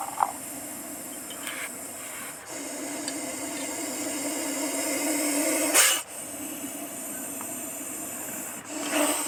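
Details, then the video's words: Hissing Russell's viper, harsh airy exhalations of uneven length cut by quick breaths, one burst swelling louder just before a pause, with faint scuffing sounds between. "hissing sound of russell's viper snake"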